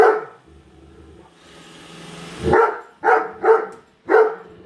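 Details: A female Great Dane indoors barks at a newly unboxed robot vacuum, giving several loud, sharp barks in a quick burst after a low rumbling hum and a swell of hiss.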